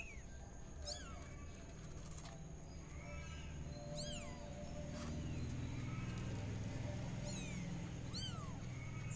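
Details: Tabby kitten Mira, playing and spinning in a pot, meows repeatedly. The calls are high, squeaky and falling, with several bunched in quick pairs, over a steady low rumble and a faint constant high whine.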